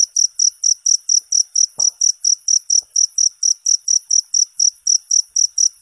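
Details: Shrill cricket chirps repeat at about three to four per second in a regular rhythm, with a faint soft knock partway through and a quiet background otherwise.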